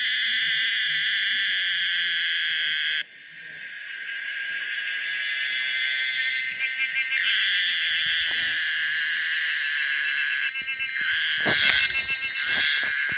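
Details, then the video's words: Common cicada Pomponia linearis producing a steady, high, shrill buzz that dips briefly after three seconds, then swells back into a harsh drone, turning faster and pulsing near the end. "the weird sound of the common cicada pomponia linearis"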